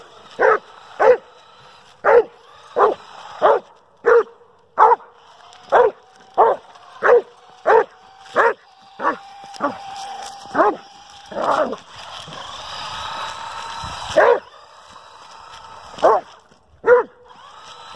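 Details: A Dobermann named Kruz keeps barking at a remote-control toy car during exercise, a fast even series of sharp barks, pausing while the car's motor whines and revs loudly, then barking again.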